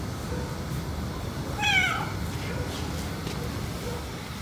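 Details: A white cat shows jealousy as its owner strokes the other, black cat, giving one brief, falling, whiny meow rich in overtones. Only quiet low background rumble surrounds it.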